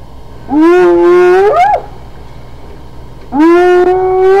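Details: Hyena giving two loud, drawn-out calls, each starting low and rising into a sustained harmonic tone, with the first ending in an upward-sliding squeal; the calls are about three seconds apart over a low background hum.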